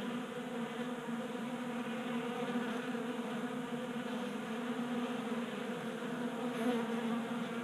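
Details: Honey bees crowding a 3D-printed feeder indoors in a Colorado garage on a warm January day; an even, unbroken buzzing drone of many wings with layered hum tones.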